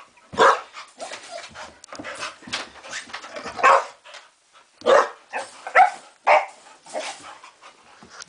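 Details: Dog refusing to go to bed like a little kid, making a string of short grumbling, whiny and talking-like vocalisations with occasional sharper bark-like bursts, irregular and close up.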